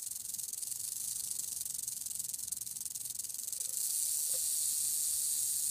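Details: Western diamondback rattlesnake in defensive display, tongue-flicking and arching, rattling its tail: a steady, dry, high-pitched sizzling buzz that continues without pause and grows noticeably louder about two-thirds of the way through.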